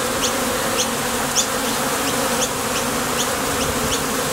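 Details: Honey bees landing at and leaving a Top Bar Hive entrance on nectar trips give a dense, even buzzing drone, with short high chirps recurring about twice a second.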